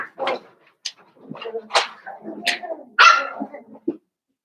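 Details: Young blenheim Cavalier King Charles Spaniels from a New Year's litter of five, in their puppy pen; quick sharp yelps and squeals follow one another rapidly, with the loudest cry near three seconds.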